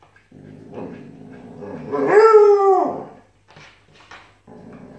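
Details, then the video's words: Malamute puppy and husky arguing: a low growly grumble swells into one loud arched howl lasting under a second, then fades to soft whimpering yips and quiet rumbling. "Siberian Husky and Alaskan Malamute arguing!"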